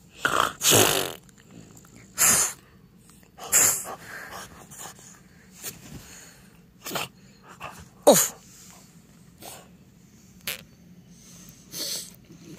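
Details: A French Bulldog named Timber playing and rolling on a couch with fresh blankets, making sharp sneezy snorts and wheezy bursts at uneven intervals, separated by quiet gaps over a low steady hum.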